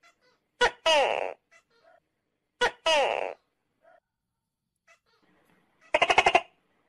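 A tokay gecko gives loud two-part 'to-kay' calls, each a sharp click followed by a harsh, falling honk.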